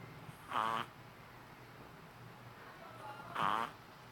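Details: Sleeping Shih Tzu pup, three months old, snoring: two whistly, rasping snorts about three seconds apart, each lasting a fraction of a second, with near silence between them.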